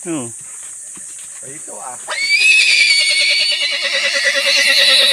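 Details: A horse at a tangerine orchard being cleared, after nearly kicking someone, gives a loud, long, quavering neigh lasting about three seconds, following brief human speech; steady insect-like hiss underneath.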